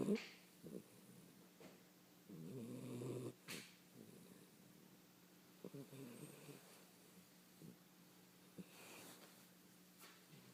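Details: A 16-week-old puppy snores while sleeping soundly. Faint, low, rough snores come at irregular intervals, with the strongest near the start, among quiet room sounds and a few small clicks.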